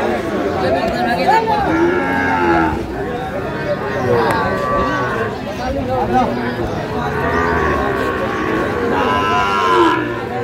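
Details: Sahiwal bulls among livestock at a Tangail cattle market in Bangladesh, recorded 9/5/25: repeated moaning moos, drawn out and overlapping from several animals, with steady human chatter from the surrounding crowd.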